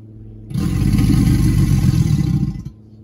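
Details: American alligator giving a deep, rough, throbbing rumble that starts abruptly, holds steady for about two seconds and then cuts off, with rapid low pulsing all through.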